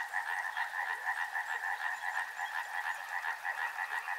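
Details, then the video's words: Frogs at a river keep up a rhythmic pulsing chorus, croaks beating in a clear regular throb about twice a second over a constant background of many callers. "Frog Sounds | Soothing sounds of river and frogs"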